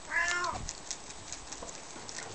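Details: Young Bengal kitten, one of twin kittens being held for the first time, gives a single short high meow with a falling, harmonic-rich tone in a small room, followed by quiet handling rustles.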